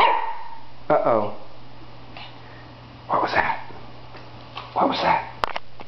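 A Shih Tzu gives short, high yappy barks, spaced a couple of seconds apart, with a steady hum behind.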